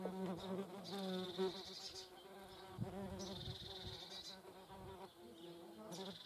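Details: Steady low hum of German wasps gathered at a feeding place, the buzz wavering in loudness, broken by several brief higher hissing bursts.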